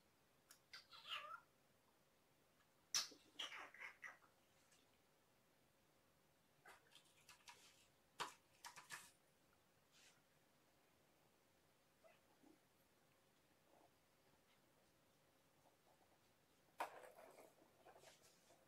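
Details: Two kitten sisters, Champagne and Mimosa, found by a roadside and taken in by Purrfect Pals, recorded indoors on an evening, 2018-01-07; brief high, quiet mews come in scattered bursts with soft rustling and a faint steady hum beneath.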